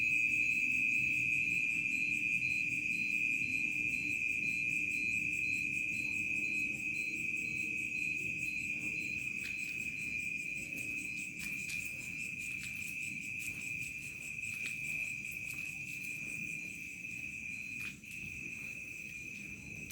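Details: Crickets sing in a village around nightfall, a loud, dense, ringing trill holding steady with fast regular pulses, about four per second, slowly easing in volume, with occasional sharp clicks and a low hum beneath.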